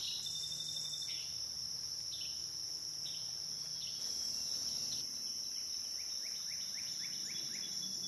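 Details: Continuous high-pitched cicada droning on the Licking River at Morning View through the night, overlaid by repeated short downward-sweeping chirps, which come faster near the end.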